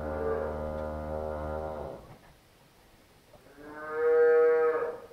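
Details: A heifer on a Polish farm moos while calving with difficulty. Two sustained lows: the first is deep and about two seconds long, the second is higher, steady and louder, with a quiet pause between them.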